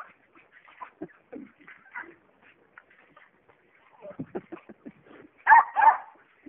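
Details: Jack Russell Terriers at play with a tetherball: soft scattered yips and whines first, then two loud sharp barks near the end.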